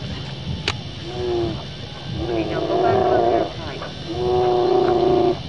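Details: Brown bears fighting on the coast of Katmai National Park, Alaska: a mother with an older cub confronts a young female that came too close. Three drawn-out, tonal bawling roars, each about a second long, over a steady low hum.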